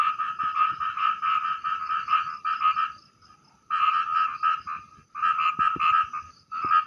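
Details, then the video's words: Small frog heard at night while fishing, its call described as loud like 'prak prak': rapid runs of harsh, rattling pulses in bursts of one to three seconds separated by brief pauses. "dengarkan bunyinya [Musik] hai hai hai hai hai hai hai saudaraku"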